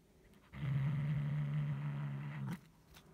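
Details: Guarding its toy, the house cat Hulusi lets out a single low, sustained growl of about two seconds, starting and stopping abruptly.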